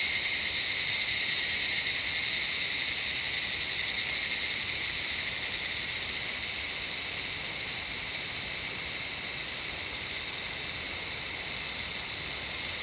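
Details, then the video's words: Jungle cicadas in Shivapuri Nagarjun National Park, Nepal, near Kathmandu, produce a ceaseless high shrill hum with a fast throbbing texture, strongest at the start and fading gently softer toward the close. "Cicadas singing the jungle of Shivapuri Nagarjun National Park, surrounding of Kathmandu City Nepal"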